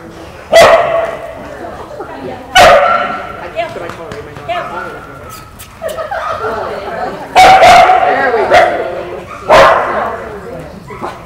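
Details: Australian Kelpie female, Hyvänenaika Herranterttu, being tested on her goat-herding ability in the United States; five loud sharp barks at uneven intervals, some in quick pairs, mixed with people talking.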